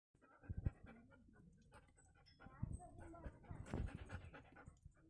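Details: Doberman dog panting: breathy, noisy puffs in irregular bursts, with strong clusters near the start, middle and end over a low rumbling background.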